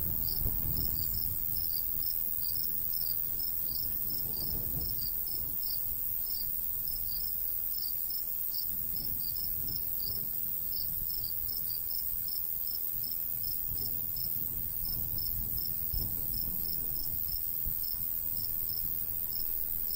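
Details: In summer countryside by a golden wheat field, crickets chirp high and fast, about three chirps a second in a loose rhythm, over a continuous shrill drone while light breeze gusts rumble low.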